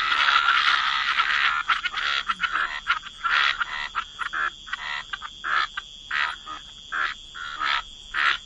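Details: Croaking frogs at the waterside in wetlands. The clip opens with a thick, continuous rasping chorus, then breaks into separate short, harsh croaks, roughly two per second, each a brief burst.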